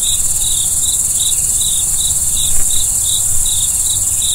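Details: Night crickets: a dense high trill underlies a clear run of short, bright, evenly spaced chirps, several per second, against a soft low hum.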